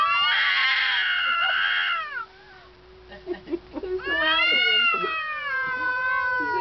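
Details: Two domestic cats, one a neighbour's, yowling at each other outdoors; the louder cat screams when provoked. Long wavering harmonic howls that rise and fall, a brief quieter gap, then another drawn-out wail, with a man's voice murmuring.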